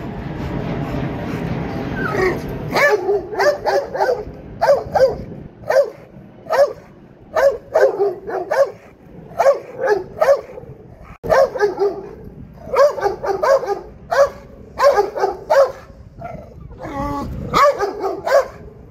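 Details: Dog at an urban dog show barking repeatedly, short punchy barks in quick succession, spaced under a second apart for most of the stretch, with a muffled rumble of noise at the start.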